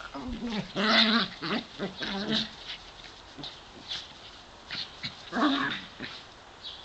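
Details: Two pet dogs, Davey (brown) and Brodie (white), aged 7 and 8, romping together in a sunny back yard; bursts of short, harmonic yelping whines in the first seconds and again near the end, with a person's voice nearby.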